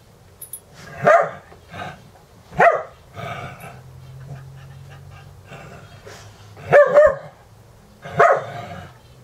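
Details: Dogs boarded at a home in Valley Village, California, during a morning wrestling match, with others watching; sharp single barks and yips spaced a second or two apart, with low growling and rustling between them.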